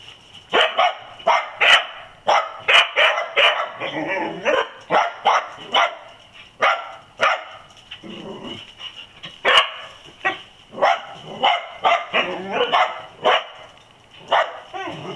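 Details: Several dachshunds barking excitedly after finding a possum raiding olives; rapid, sharp, high-pitched barks and yips repeated in quick bursts over fifteen seconds, with brief pauses and overlapping voices.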